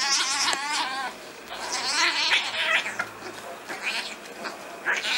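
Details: Stray cats in a street fight give wavering, strained yowls followed by rough hissing and scratchy noisy bursts, overlapping and uneven.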